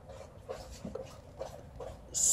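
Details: Alaskan malamute in summer heat, panting in soft, quick rhythmic breaths about twice a second, ending in a sudden loud hissing rustle.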